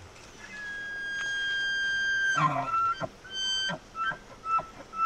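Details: Elk in its natural habitat: a long, steady whistled tone held for nearly two seconds, then a burst of rough grunting and a string of short clipped chuckles and squeaks that rise and fall, over a soft background hiss.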